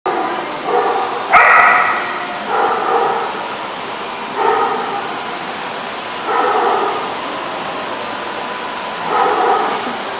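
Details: Dog barking in bursts, each lasting under a second, about every two seconds, loud and mid-pitched with a harsh edge, with faint background noise between barks.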